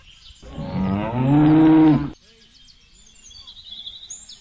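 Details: Indian desi cow lowing once: a loud, deep moo of about one and a half seconds that rises slightly and holds steady, followed by quiet with faint bird twitters.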